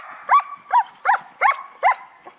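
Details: Guard dog barking during a belongings-guarding training exercise at a guard dog kennel in Hà Tĩnh, Vietnam: five sharp, evenly spaced barks, roughly two per second, against a quiet background.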